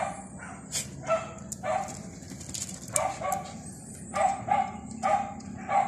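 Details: Barking from a dog filmed while rolling: clipped, yelping barks in loose clusters, pausing for about a second mid-clip before a faster run of four near the end, with a constant thin high hiss behind.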